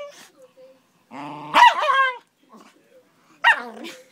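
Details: Dory, a 13-year-old Schnauzer, angry with Cora, a five-month-old Akita-Labrador puppy: a low rumbling growl breaks into a sharp, harmonic snarling bark, then a second shorter snarl, with a faint human voice between.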